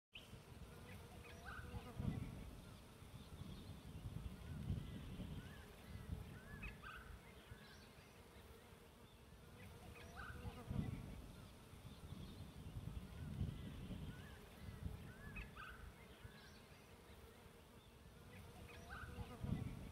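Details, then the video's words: Bees humming around a bee tree during a three-day camping trip: a dense, low, steady drone that swells and fades every few seconds, with faint scattered bird chirps and short calls above it. "bee tree"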